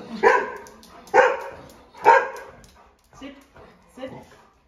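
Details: Excited golden retrievers waiting before food at home. Three loud, harsh barks come about a second apart, followed by two softer, shorter barks.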